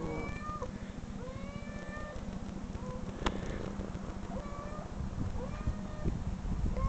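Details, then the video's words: Domestic cat meows replayed from videos: short, slurred mews, some rising and some bending down, spaced irregularly over a steady low hum, with one sharp click near the middle. "cat meow"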